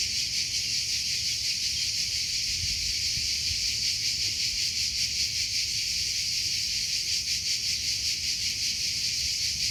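Crickets give a steady, high, shimmering trill with a faint pulsing beat throughout.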